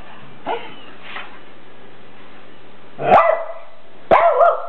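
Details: Rat Terriers Graci and Princess barking at a new red deer buck they dislike; a faint yip, then two sharp barks after a quiet stretch, with low hum in the background.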